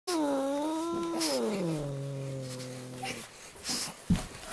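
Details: Domestic female cat acting hostile toward a visiting dog; a long drawn-out moaning growl sliding downward in pitch over about three seconds, followed by quieter rustling and a short sharp noise.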